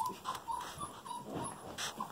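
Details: Female Golden Retriever puppies just over five weeks old; short, high, repeated whimpers about every quarter second, thin and piping, with faint background rustle.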